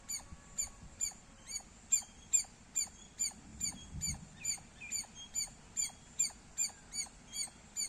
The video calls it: Loud Squirrel Sounds -squirrel chirping Sounds Loud